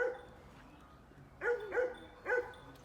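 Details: A pet dog on a farm gives three clear, tonal barks in quick succession after a quiet pause, over faint background hum.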